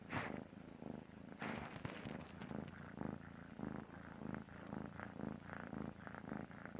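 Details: Sleeping cat snoring with rhythmic low rasping breaths roughly once per second; a few sharp clicks or knocks sound near the start and around the second and third seconds.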